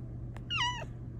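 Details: A female Bengal cat gives a single short meow that rises briefly, then slides down in pitch, while settling into a new homemade cat cave.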